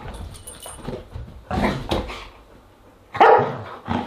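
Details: Siberian Huskies at a dinner party, recorded August 10, 2022, giving short loud barking bursts near the middle and end, with quieter rustling and low household noise between them.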